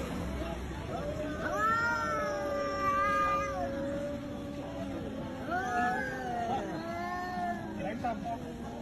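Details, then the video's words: Cats squabbling in a noisy exchange of long, wavering yowls held for several seconds, a second round of wails following after a short pause, with background chatter and traffic-like noise. "KUCING OREN BERANTEM ADU SUARA"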